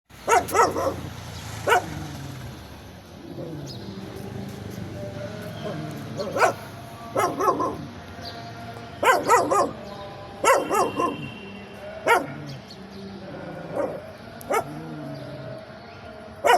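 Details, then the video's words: A dog barking while hiding under a car: short, sharp broadband barks come singly and in quick pairs at irregular intervals of one to two seconds, with low droning background noise between them. "The sound of a dog barking from under a car!"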